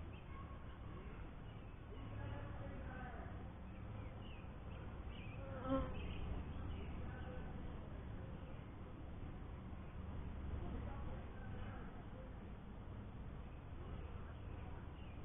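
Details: Honey bees at a first hive, a dense low buzzing hum that swells and fades, with faint bird chirps and brief wavering tones above.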